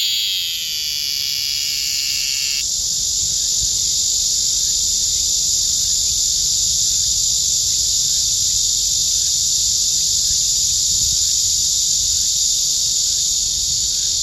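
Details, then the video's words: Cicada calling close at hand, a continuous shrill electric buzz held at a steady high pitch, with a faint rhythmic ticking pulse running underneath. "촬영하는 게 싫은 매미"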